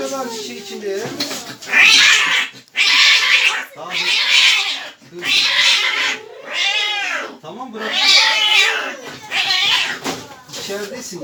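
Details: Agitated cat at the vet letting out loud, harsh wailing yowls roughly every second, each about a second long, irregular in rhythm, with Turkish speech and background music in a small room.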